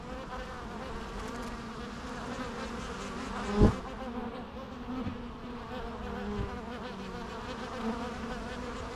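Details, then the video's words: Bees hum in a low, steady buzzing drone, with a brief sharp knock partway through and soft rising and falling wingbeat tones over the constant swarm noise. "natural bee sounds"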